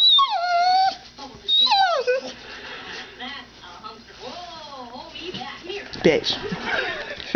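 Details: Indoor pet dogs Annie and Maggie, freshly trained to 'say mom': two loud high whines sliding downward, then softer wavering whimpers, with a woman talking and a brief clatter near the end.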